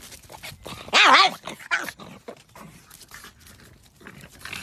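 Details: A hungry pug gives one loud, wavering whine, its pitch wobbling up and down, asking for food.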